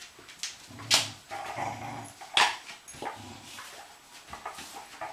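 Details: Garfield, an 11-week-old Treeing Walker Coonhound cross puppy, playing keep-away with Aphrodite, a lab cross, both in a rescue program; rough low growls and short harsh yips in bursts, with scuffling between them.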